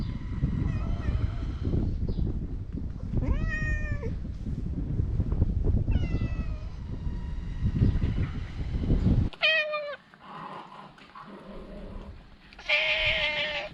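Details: Talkative stray cat meowing while being stroked; several harmonic meows, some rising then falling, over loud low rumbling background noise that drops away partway through.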